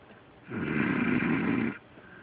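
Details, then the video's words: Delilah, a female dog, snoring loudly while asleep: one long, rough, droning breath lasting just over a second, rasping low with a brighter hiss on top, framed by quiet room tone. "My Delilah Snoring"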